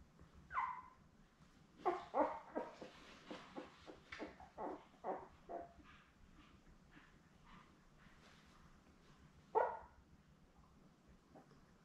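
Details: Newborn Labrador Retriever puppies, a litter of seven born May 24, 2021, with their mother Belle, indoors on a puppy cam; a rapid run of short squeals and yelps, then scattered softer squeaks and one louder cry near the end.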